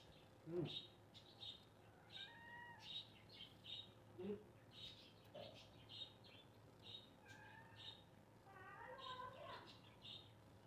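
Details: Upset pet cat meowing: a few short, harmonic meows near the start and middle, then a longer, wavering meow near the end, over steady high chirping of birds and a low background hum.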